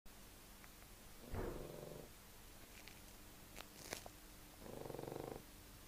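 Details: A sleeping pug snoring: two rough, rattling snore bursts roughly three seconds apart, each under a second long and fluttering rapidly, with a few faint clicks between them in a quiet room.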